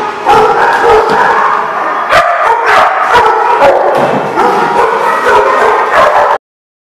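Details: At The Barking Lot on 14 December 2015, several dogs keep up a busy din of overlapping barks and yelps. A few louder, sharper barks punch through before it cuts off abruptly near the end.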